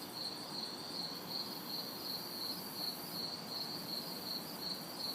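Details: Crickets and cicadas calling through a hot, humid city summer night, recorded in a backyard; evenly spaced high chirps pulse steadily over a hissing insect drone, with distant traffic as faint white noise.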